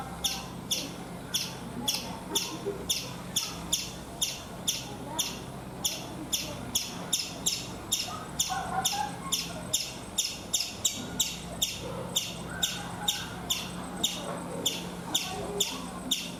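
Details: Rapid, insistent chirping from a chipmunk on a coconut tree in India: crisp high notes repeated around three times per second in a long unbroken run, with a low steady hum underneath.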